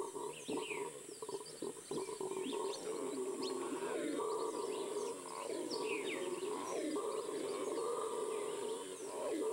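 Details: Venezuelan red howler monkey chorus: a steady, low, droning roar that swells and fades, partly masked by scattered bird chirps and a constant high-pitched insect drone.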